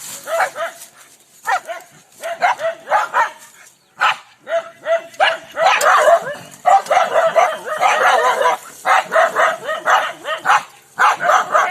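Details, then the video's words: Angry village dogs in India barking during a dog fight; rough, snarling barks in uneven bursts, several dogs overlapping, with growls between volleys and brief pauses. "Angry Dog Barking Sound Effect"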